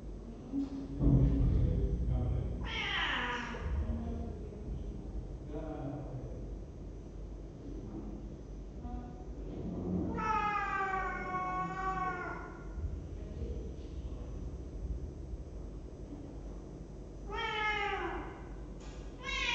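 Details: Cat picked up by a webcam in a cat room on 23 December 2015, giving a few drawn-out, wavering meows spread across the clip, with background voices and low room rumble.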